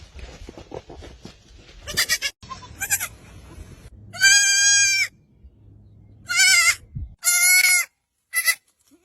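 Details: Young goat kids on a farm giving several loud, harmonic bleats, some short and some longer with a slight wavering quality, coming in a loose series, with quieter bleats and rustling earlier in the recording.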